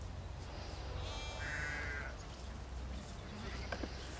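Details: Sheep worked in a field by the four-year-old Border collie Lars: one faint, drawn-out bleat lasting about a second, heard over steady low wind noise with a few soft clicks afterward.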